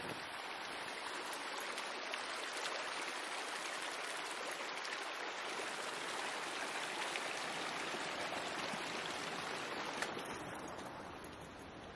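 Steady rushing water like a stream or heavy rain, with no animal calls heard.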